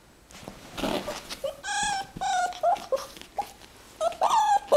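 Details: AlfRed the fox on his second birthday, 22 April 2018: a run of high, wavering whines with bright overtones, each under a second long, coming in bursts between quieter shuffling pauses.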